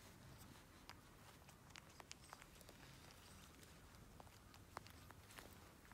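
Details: A pet Asian small-clawed otter biting off its own claws makes quiet, dry clicks and snips at an irregular pace, several a second, over a soft room hiss.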